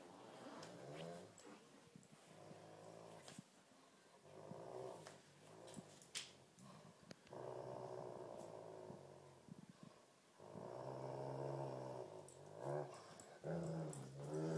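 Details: Two dogs, a Great Pyrenees and a Tibetan Mastiff, battling in a tug-of-war game. Rough growls rise and fall over the whole stretch, broken by shuffling and scuffling noises.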